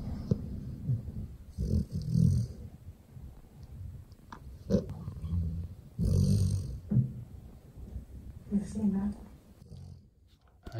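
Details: A Golden Retriever sleeping in its owner's arms snores in low, rumbling bursts that come and go every couple of seconds.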